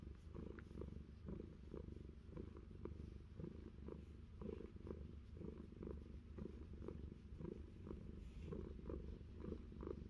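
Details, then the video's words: Fluffy the cat, kept on an orchard in New Zealand, purrs through an ear scratch: an even, gravelly drone pulsing with each breath, overlaid by short, crisp scratching clicks. "Fluffy having an ear scratch and purring"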